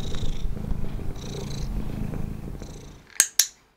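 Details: A domestic cat purrs steadily with a low continuous rumble and soft breathy swells while being handled during ear-check training and rewarded with stroking, then two sharp clicks follow as a training clicker comes into use.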